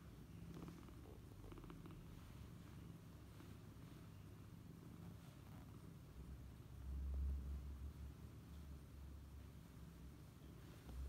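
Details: Mother cat curled around her kitten, both sleeping, purring: a soft, steady, low rumbling throb running continuously through the recording, briefly louder near the seventh second, with no other clear sounds.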